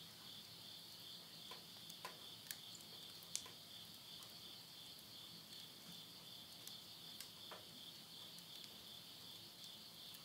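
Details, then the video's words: Countryside insects at Yurihama, Tottori, Japan, at midnight in late summer, September 2020, keep up a continuous high-pitched ringing chorus, while a wood stove fire snaps and crackles intermittently close by. "mid night the voice of insects"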